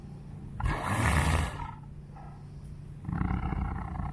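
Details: An elderly female white tiger at a big cat rescue gives a deep, rasping roar, then a second rougher growl, while a keeper speaks nearby offering her chicken necks and mush, which she refuses.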